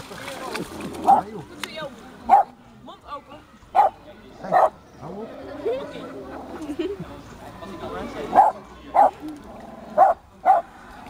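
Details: Seal in a zoo, Ouwehands Dierenpark in Rhenen, giving short, sharp barking calls in irregular bursts about once or twice a second, each a brief clipped note, with people talking nearby throughout.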